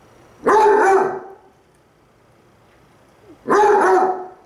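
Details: Basset Hounds at home howling to each other, one lying down: two loud, short, harsh baying bursts about three seconds apart with quiet between.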